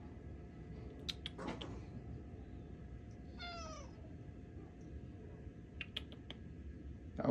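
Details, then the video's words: Tuxedo cat talking to its owners with a single meow that falls in pitch and lasts roughly half a second. Scattered clicks and knocks come before and after it, over a low background rumble. "Tuxedo cat talks up a storm cute meows"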